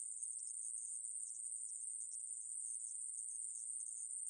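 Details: Conehead katydid (애매부리) in a 2020 National Institute of Biological Resources recording, giving an even, piercing high buzz that runs on without a break, lightly wavering in loudness.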